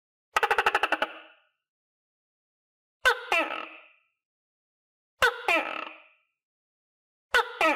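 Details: Tokay gecko in captivity, housed with others and shown eating crickets: a rapid clicking rattle opens, followed by three double-syllable barking calls, each a sharp attack then a raspy, falling croak, spaced roughly two seconds apart in a quiet room.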